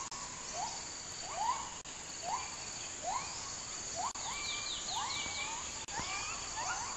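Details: Gibbon howling in rainforest: a series of rising whooping notes, each sweeping upward, repeated roughly every second over a dense, steady buzz of insects.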